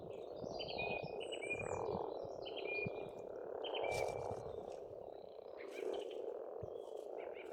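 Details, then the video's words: Springtime pond on an Estonian farmstead, where a rolling frog chorus rises and falls in loudness. Clear whistled bird notes repeat roughly every two seconds over the croaking, with a few sharp clicks. "Расслабляющее пение птиц и лягушек, весна, природа."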